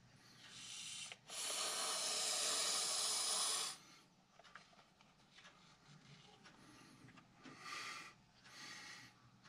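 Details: Nervous Montpellier snake hissing as a reaction to threat: a short hiss, a brief pause, then a long strong breathy hiss of about two and a half seconds, followed by two softer short hisses after quiet rustling.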